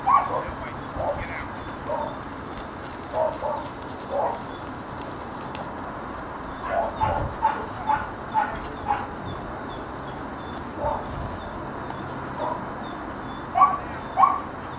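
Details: A young working dog, one and a half years old, gives scattered short barks in small clusters, some fainter and distant, with quiet gaps between groups and a low rumbling background.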